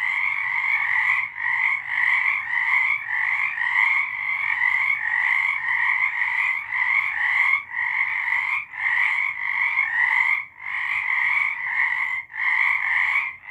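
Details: Night-time frog song recorded in March 2023, a steady wall of pulsed croaking trills repeated in overlapping bursts roughly every second, with small gaps between waves of callers.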